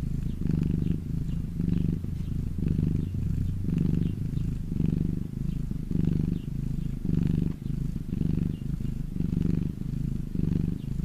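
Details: Pet cat resting in sunshine, purring continuously; deep buzzing rumble that swells and fades in regular breaths a little under once per second.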